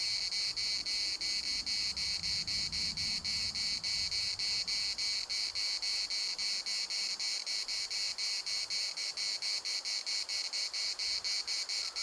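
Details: Cicada song filling the municipal park in Larnaca: an intense, sizzling buzz chopped into fast regular pulses near four per second, continuing unbroken throughout.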